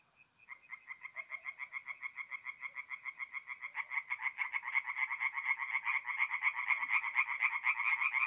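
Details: Tree frogs singing at night in a forest pond in mid-April, north-east Italy; rapid pulsed croaks repeated about four per second, the chorus swelling after a soft start and growing louder and denser halfway through.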